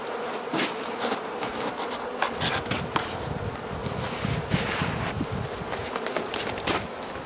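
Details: Carniolan honey bee colony in its hive in southern Finland on 16 March 2017, outside temperature +3 C, being fed by the Mountain Camp method; a steady low hive hum runs beneath frequent crackling and knocking from handling.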